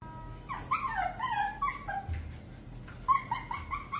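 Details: A 45-day-old Shih Tzu puppy whines in a series of high, thin whimpers, each sliding down in pitch, in two clusters with a quiet pause between them.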